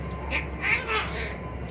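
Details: A kitten at play, practising how to fight; a few short mewing calls with bright upper tones, three or four brief bursts close together, over a steady low hum.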